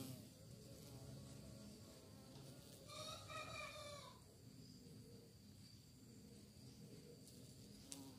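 Bees give a low, continuous droning buzz that wavers slightly in pitch throughout. Around the middle, a rooster crows faintly in the background, a short harsh burst over the hum.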